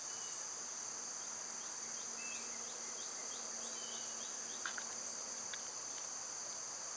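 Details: Summer cicada chorus in a steady high hum with no rhythm. Faint bird notes appear early on, and a brief clicking rustle sounds about halfway through.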